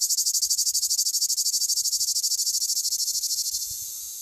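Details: A male cicada sings a harsh, high, rapidly pulsing buzz that runs on without pause, the typical sound of southern France.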